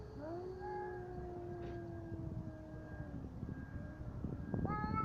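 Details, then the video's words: Fighting cats give a sustained, wavering yowl held for over three seconds, slowly sagging in pitch, followed by a sharp rising cry at the end over a low rumbling background. "Коты батл."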